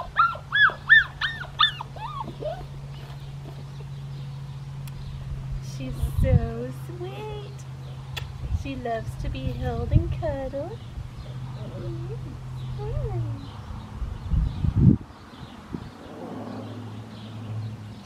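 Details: Red merle female Australian Shepherd puppy, number three from Raven's litter, at an Oklahoma breeding farm, gives a quick run of high, thin whines at the start. Softer whimpers follow, scattered between human speech over a steady low hum.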